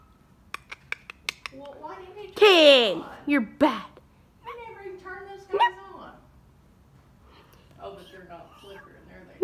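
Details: A female Siamese cat, reluctant and lazy about meowing on request, gives one loud drawn-out meow that slides downward, after a few sharp clicks, followed by softer broken vocal sounds in a quiet indoor room.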